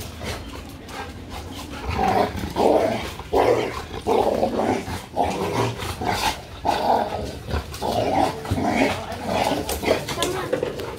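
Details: Two Labrador Retrievers, overly excited while playing, sliding into a small scuffle: steady run of harsh growls and snarls, roughly one and a half per second, uneven rhythm, with faint music behind.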